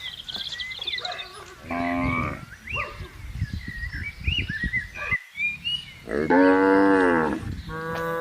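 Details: Moos from cattle being herded across a green pasture: two drawn-out, resonant lows about four seconds apart, with brief high bird chirps and rustling movement between them.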